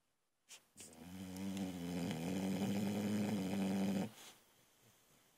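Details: Sleeping female Boxer puppy snoring loudly indoors: one long rumbling, harmonic-rich snore lasting about three seconds, steady and droning, with a quiet room before and after.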